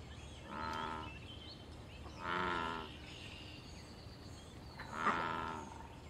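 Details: American bullfrog calling from water in the wild during mating, territorial and fighting encounters. Three booming, harmonic, moo-like croaks sound at irregular gaps of roughly two to three seconds, over quiet background noise.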